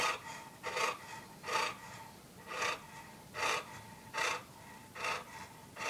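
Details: English Bulldog named Porkchop scampering around a condo hunting for pizza; harsh, noisy snorting breaths in a steady rhythm, about seven bursts in six seconds, each a short rasping puff with a faint tonal whine between them.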